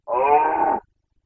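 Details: Carpathian red deer stag in Bucovina during the 2021 breeding season, giving a single short, loud, harmonic roar of under a second. The voice is rich and tonal with strong overtones and cuts off abruptly into silence.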